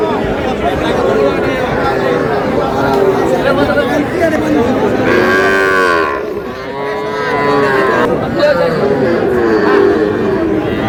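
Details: Calves, six-month-old bulls and heifers sold in lots of three at a busy cattle market in Madaripur, Bangladesh; a loud arched moo swells and fades after the middle, surrounded by constant human chatter and haggling.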